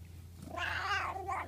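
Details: Pet cat making a funny sound while being scratched: a brief strained, wavering vocalization lasting about one second, rising then fading, over a steady low hum.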